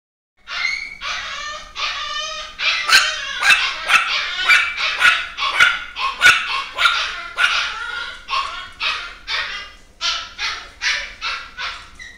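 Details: Female long-coat Chihuahua, chocolate and tan, yapping indoors: a rapid series of high-pitched, harmonic barks, about two per second, rising in intensity and then easing off, with little other sound.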